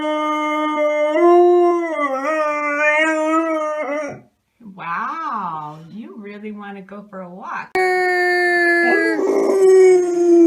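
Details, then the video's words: Domestic dog vocalizing, apparently eager to go for a walk: long, sustained, wavering howl-like tones with rich harmonics, broken by abrupt cuts into shorter rising and falling whines, then another steady drawn-out howl; background music throughout. "PERROS QUE LADRAN SONIDO DE PERROS - SOUND OF DOGS - SON DE CHIENS"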